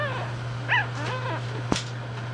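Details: Newborn English Bulldog puppies from a litter of four born about two hours after the due date (the first died; two females and a male remain) give thin, high squeaks that rise and fall, over a steady electrical hum.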